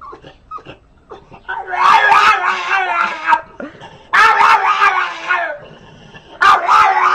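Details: A dog gives drawn-out, wavering, harmonic howls, three long yowls of about a second and a half each, following a quieter start with soft clicks and whimpers.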